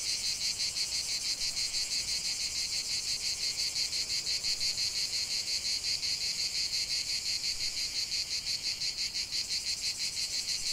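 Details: Cicadas calling in nature, many voices blending into one piercing buzzy wall of sound that pulses steadily around three times per second without pause.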